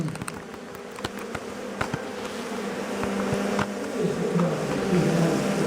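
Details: Honey bees buzzing steadily as bushmen harvest a beehive and honey by primitive methods; an even drone rising toward the end, with sharp clicks and taps scattered through the first half.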